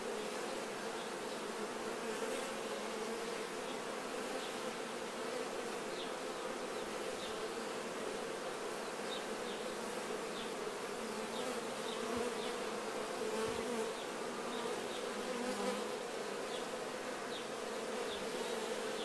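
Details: A mass of honey bees cleaning off nectar while honey is taken from the hive: steady, thick droning buzz throughout, with brief louder fly-bys and faint light knocks.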